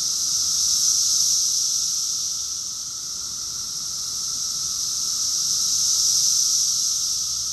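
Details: Massed cicada chorus from Rockville, Maryland, USA, June 2021 summer: a continuous sizzling high drone that pulses in slow waves, peaking early, fading around the middle, and surging again near the end.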